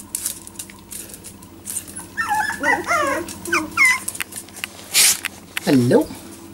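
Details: Four-week-old Jack Russell Terrier puppies, indoors and only days into learning to walk, give a run of wavering, high whimpers that climb and dip in pitch, then a lower quavering whine near the end, amid rustling, clicks and a person speaking.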